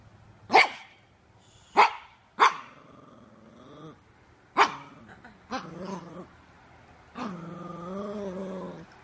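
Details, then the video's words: Yorkshire Terrier giving several sharp barks spaced a second or more apart, followed by drawn-out, wavering howling cries. "YORKIE AMAZING BARKING - Yorkshire Terrier Barking and Howling Compilation"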